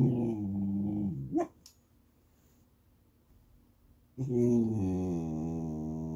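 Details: Goldendoodle puppy fussing for snacks or petting: a low, drawn-out, nasal whine with a rough, growly edge, cut off by a short rising squeak. After a pause, another sustained low moaning whine follows.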